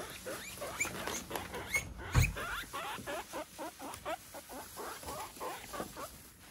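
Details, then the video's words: Pet guinea pig eating Chinese cabbage stalk, recorded close up; steady crisp crunching bites, a few per second, with brief high squeaky notes early on and a louder knock midway. "モルモットのもるちゃんの咀嚼音 〜食べる前の大興奮から食べ終わりまでノーカットで白菜編〜Guinea Pig Eating Sounds"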